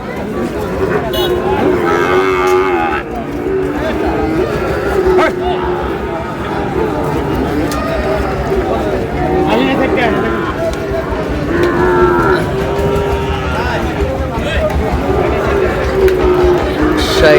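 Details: Sahiwal cattle, bull calves, in Noakhali, Bangladesh: many overlapping drawn-out moos with arched, rising-then-falling tones across the whole stretch, under steady crowd chatter and talking.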